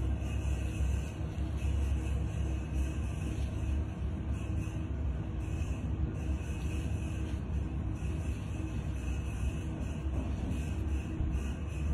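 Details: Low rumbling background with music-like drones and a steady high tone, resembling vehicle or engine noise; no animal sound is present.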